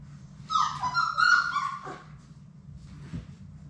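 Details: Labrador Retriever puppies, one of a litter of six, playing in their indoor play room: a single high, wavering whine lasting about a second and a half, then a short scuffle and quiet over a steady low room hum.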